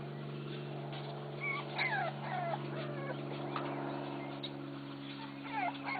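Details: Bulldog pups at play give high, thin whimpering yelps that bend up and down in pitch, a quick cluster near the start and another burst at the end, over a steady low mechanical hum.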